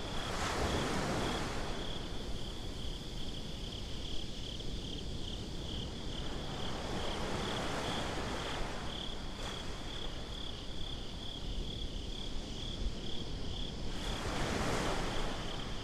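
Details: Crickets at night on a beach: a steady, high, faintly pulsing trill runs throughout, partly buried under a constant low roar of surf and wind, with louder wave washes swelling near the start and the end.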